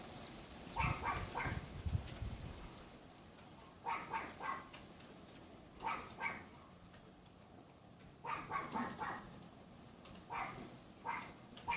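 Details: A neighbour's Pomeranian, hidden by a wooden privacy fence, keeps yapping on a windy afternoon, 6 February 2015 at about 3:18 PM; repeated bursts of three to four quick barks separated by short pauses, with gusty wind rumbling underneath.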